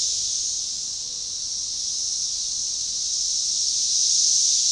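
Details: Synchronizing chorus of Magicicada tredecassini periodical cicadas, forest edge by a baseball trail near DeValls Bluff, Arkansas, on June 7, 2015; a continuous shrill hiss that dips slightly then builds louder toward the end.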